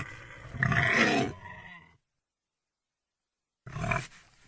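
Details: Pig with a single harsh, strained squeal-grunt just over a second long, then silence before a shorter rough grunt.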